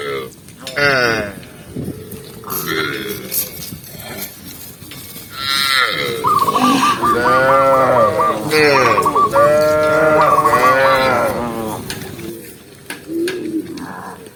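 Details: A tame cow moos while walking calmly through a green forest in the countryside. After a few quieter, scattered sounds, a long, loud moo swells and falls in the middle, followed by softer, fainter calls near the end.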